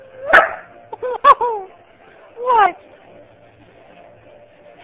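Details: A female Beagle/Husky mix dog gives her cute semi-howl when she wants something: short, bending howls with a yip; a golden retriever is also present.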